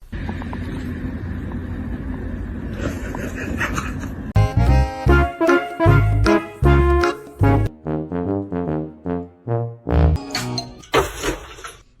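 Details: Loud music fills the recording, a dull rumbling passage followed by punchy brass-like chords and short bursts of notes, with no animal sound.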